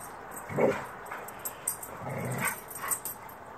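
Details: Two pet dogs, Gator and Luna, wrestling together outdoors after midnight; short growly and whimpering bursts come in scattered pairs over a steady background hiss.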